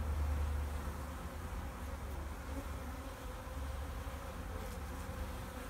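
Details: Backyard honeybee colony wintering in Vancouver, BC, early March 2019, sunny afternoon at 8 degrees, bees stirred up after the hive cover comes off; dense low buzzing drone, steady throughout, strongest at the very start.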